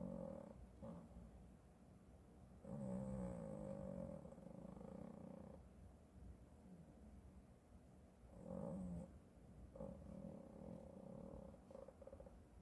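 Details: Male pet cat snoring while asleep, recorded unedited: quiet, rough, rumbling breaths that swell into louder droning bursts every few seconds, with a faint steady background hiss.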